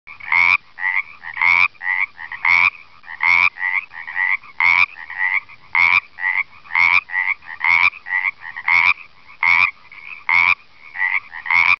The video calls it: Pacific Tree Frog Calling (Video)